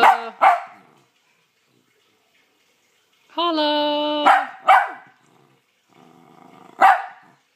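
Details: Pet dog Sophie answers a person's prompting with sharp barks and one long, steady, tonal yodel-like vocalization. A person keeps talking in the background.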